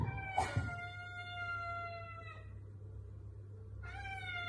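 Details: Pet cat showing love to its owner, giving a long, drawn-out harmonic meow that slides gently downward for about two seconds, then a second rising meow begins near the end over a steady low indoor hum.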